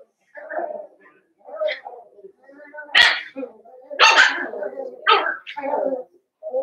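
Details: Blenheim Cavalier King Charles Spaniel puppies, a litter of five born at New Year's, in an indoor puppy pen. They give a string of short, high, harmonic yips and sharp barks with brief gaps. Faint voices can be heard.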